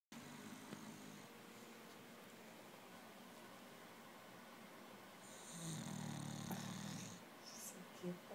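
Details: Ten-month-old female English Bulldog snoring away during a nap, lying face down. A soft, steady low rumble continues throughout, swelling into a louder raspy, tonal snore near the sixth second before easing off again.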